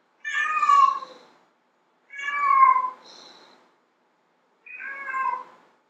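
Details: A domestic cat, described as a female whose call attracts males, gives three drawn-out, harmonic meows, each about a second long, with pauses between.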